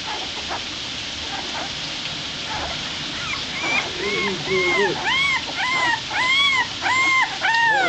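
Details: Newborn bully-mix puppies nursing beside their American Pit Bull Terrier mother Burrito, one of eight in the litter, give repeated high arched squealing whines about twice a second over a steady hiss, with faint human voices.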